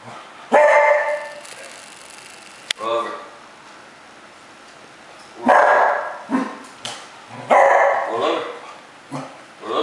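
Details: Pet Cocker Spaniel talking back rather than doing a learned roll-over trick: several loud, tonal, grumbling yowls spaced a few seconds apart, mixed with a person repeatedly urging it to roll over.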